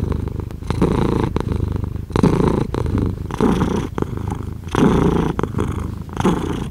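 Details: Close, loud cat purr, a dense buzzing rumble rising and falling in uneven waves of about a second, broken by brief pauses for breath.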